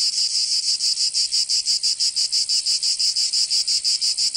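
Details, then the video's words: Short burst of cicada song from a Provençal summer in the south of France. Sharp, shrill buzzing pulses repeat evenly, about three each second, over a quiet background. "Canto Cigarra 🦗 [ Escuchar les cigarras en verano"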